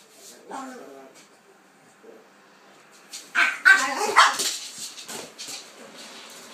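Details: A Pitbull and a King Charles Spaniel at play. A faint early yelp is followed by a cluster of loud, rapid barks and yips near the middle, with a person's voice also heard.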